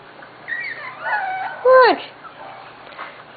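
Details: Corgi puppies almost six weeks old, out in a play yard for the first time: a few thin rising-and-falling whines, then one louder high whimper bending downward near the end, with faint voices around.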